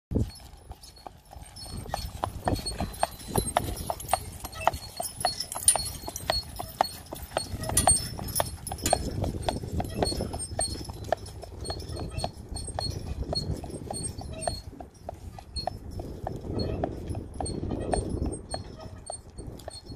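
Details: Registered Friesian sport horse being driven, its hooves giving a steady run of soft clip-clop beats over a low rumbling background, with the beats growing a little louder around the middle and again near the end.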